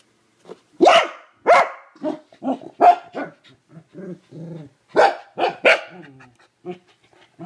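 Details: A corgi reacting to a hated toilet bowl brush with a burst of loud barks and yips, about ten in seven seconds, broken by shorter grumbling vocal sounds and brief pauses.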